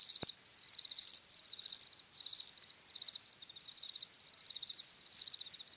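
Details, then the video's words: Rapid high cricket chirps pulse in bursts roughly every second, overlapping insects forming a continuous ringing chorus, with a single brief click near the start. "CRICKETS CHIRPING SOUNDS"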